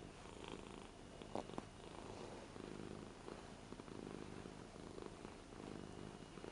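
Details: Lara, an 8-year-old Ragdoll cat, purring affectionately while petted on a new bed at home. A steady low rumble swells and fades with each breath, with one sharp click near the start.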